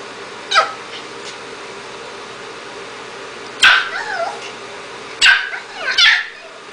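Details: Hungry two-month-old puppy barking for food while practising sit and down; a faint yip, then three high whiny yaps with wavering, bending pitch in quick succession over a steady background hum.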